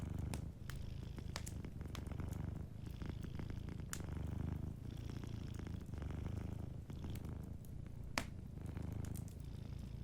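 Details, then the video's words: Sleeping domestic cat purring softly indoors by a fireplace: steady low rumbling purr swelling and easing in breath cycles about every two seconds, with sharp crackles and pops of a wood fire throughout. "a Sleeping Cat 🐱💤Fireplace & Soft Purring"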